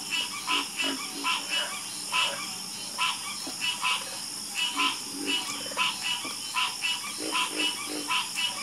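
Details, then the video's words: Several frogs croak together, clipped nasal pulses spaced irregularly, some louder calls standing out above a continuous high shrill background. "Sleep Like A Baby With The Calming Sound Of Harmonious Frog Croaking"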